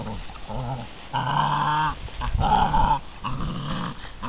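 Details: Growls from six-week-old American Bandog Mastiff puppies pulling a chicken tied to a string in a temperament test; a few sustained harmonic growls, each about one second long.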